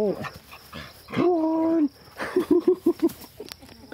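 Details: Labrador Retriever; greeting call; greeting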